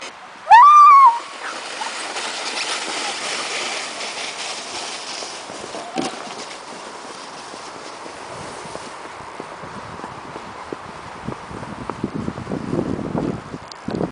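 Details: A 5-month-old male Siberian Husky on his first sledding run, pulling naturally through winter snow at New Year 2010 in Bosworth Park, Midlands, UK, gives one loud rising tonal yelp, then sled and wind hiss; Siberian Husky.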